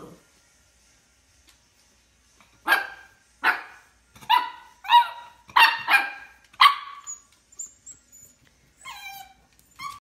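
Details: A 2-month-old male Miniature Schnauzer puppy gives a run of sharp, high yipping barks, about a second apart, while looking at his reflection for the first time.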